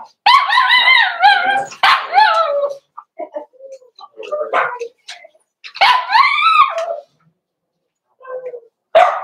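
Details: Cavalier King Charles Spaniel puppies in a home pen meeting older dogs: repeated drawn-out whining yelps that rise and fall, followed by softer grumbles, brief yips and a final sharp bark.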